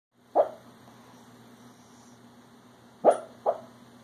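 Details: An 8-year-old Pekingese dreaming during a nap gives short, muffled woofs: one at first, then a quick pair.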